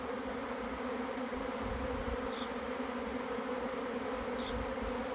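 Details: Steady droning buzz of a honey bee swarm as it arrives, unbroken and even, with two faint high chirps in the background.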